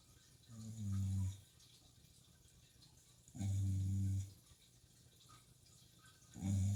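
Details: Shiba Inu snoring through a sleepless night beside an aquarium: low, droning snores in three bursts, each lasting about a second, spaced roughly two to three seconds apart, over a soft hiss of tank water.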